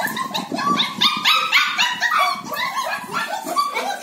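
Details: German Shepherd puppies, show-quality females from Bangalore, yapping in rapid overlapping high barks and yips, about four per second, several pups calling together.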